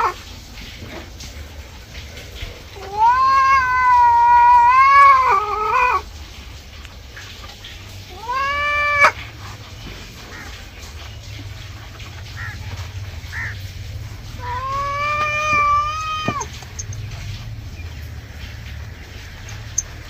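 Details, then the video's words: Pet cat protesting angrily during a bath: three plaintive wailing meows, the first long and wavering, a short rising one, then a third drawn-out cry, separated by quiet pauses with low background hum. "Today our cat looks angry while taking a bath"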